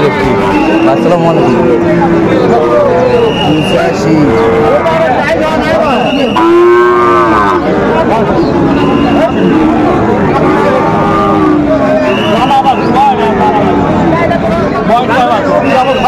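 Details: Sahiwal bull cattle at a busy Monday cattle market in Ranigonj, Bogura, Bangladesh, January 2025: repeated arched moos, one strong bellow near the middle, amid constant crowd chatter and nearby talk about prices.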